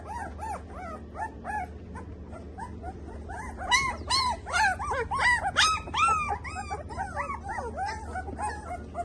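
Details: Several Samoyed puppies in Delhi, India, KCI registered, yelp and whimper together; high arched cries build from scattered calls into a dense overlapping chorus midway, with a low background hum throughout.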